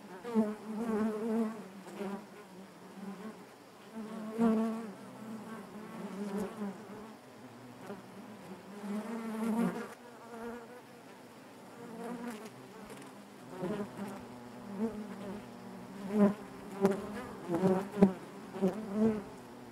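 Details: Continuous buzzing of honey bees in their hive, a low droning hum with rich overtones that pulses irregularly, punctuated by many short louder buzzes as bees move close, especially in the final seconds.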